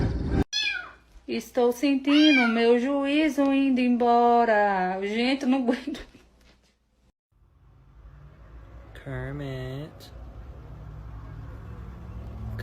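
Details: Pet cat producing a rapid run of wavering, yowling meows for about five seconds, then falling quiet before one last shorter wavering meow, with faint background hum.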